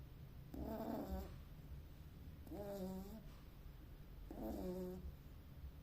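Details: Beagle puppy asleep, giving three drawn-out snoring breaths about two seconds apart, each a raspy, slightly whistling rumble, with quiet background hum between them.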